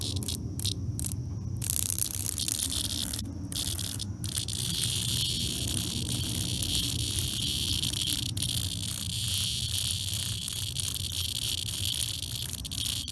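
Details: Cicada in a life-and-death struggle with an attacking European hornet: a harsh, hissing broadband buzz, broken by short gaps in the first four seconds, then running as a steady rasp over a low rumbling background.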